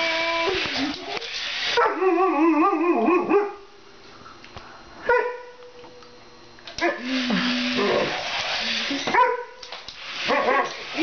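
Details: Playing with a remote-control Spider-Man toy, an Alaskan Malamute lets out long, warbling, whine-like yowls with bending pitch, separated by quiet pauses, then a low steady moan and further drawn-out wavering calls.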